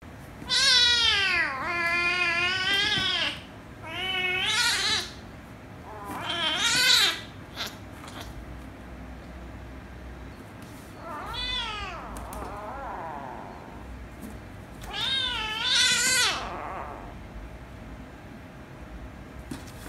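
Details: Kittens, a ginger kitten and a rescue kitten, one made angry before later kissing and licking the other: loud, harmonic, wavering meows in about five separate bursts, some rising then falling, with short quiet gaps between.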